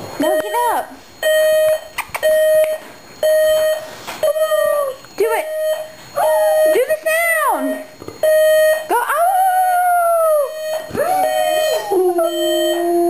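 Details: Pet dog howling along to a beeping alarm clock indoors: long wavering howls that rise and then slide down, rising and falling over a steady electronic beep repeated about once a second, with brief whimpers between.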